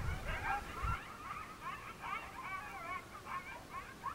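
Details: Coyote pack chorusing at evening in Northern New Mexico mountains as a monsoon storm approaches; many quick, warbling yips and short bent howls tumble over one another, a few low bumps at the start.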